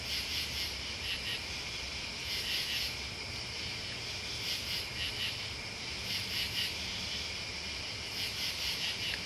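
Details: Continuous insect chorus of crickets and bugs, a bright ringing hum of many high trills, with rhythmic louder pulses of chirping recurring every couple of seconds over faint low background noise.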